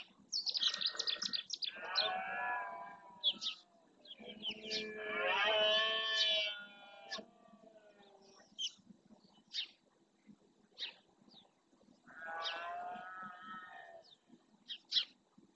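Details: Rutting red deer males in Doñana National Park's marshland, Spain, bellowing to assert territory: three long, rich harmonic roars that waver in pitch, separated by quieter gaps full of sharp bird chirps.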